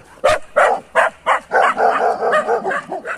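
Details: Boerboel and Kuvasz dogs barking at a horse; a rapid series of about ten sharp, fairly regular barks, roughly three per second, loud throughout.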